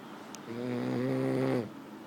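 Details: A single snore from a French bulldog: one steady, nasal, harmonic rasp lasting about a second, preceded by a faint click.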